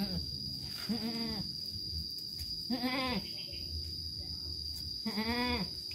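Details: Goat on a livestock farm kept with its healthy kids, giving three loud, wavering bleats spaced about two seconds apart, each falling slightly at the end, with a steady high electrical whine underneath.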